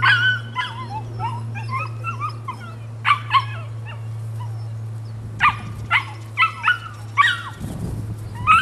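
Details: Female Rodin/Katana puppy aged nine weeks yipping and whimpering in quick bursts of sharp, high, bending notes, some in close pairs and triplets, over a constant low hum.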